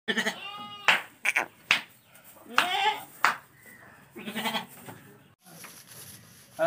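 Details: Lambs for sale give a short harmonic bleat, then several rougher, broken bleats amid clicks, knocks and some human chatter.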